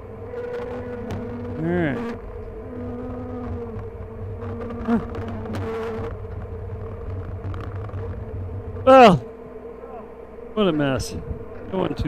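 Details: Honey bees hum steadily during a 22/6/29 hive inspection at "The Mountain", where the hives were busting with honey; a constant low drone carries throughout, interrupted by brief bursts of human voice and a few knocks.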